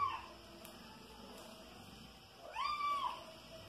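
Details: A five-month-old house kitten called Soneca, a flying insect hunter, lets out one clear, arching meow that rises and trails down late in the recording, after a cut-off mew at the start and quiet background hum.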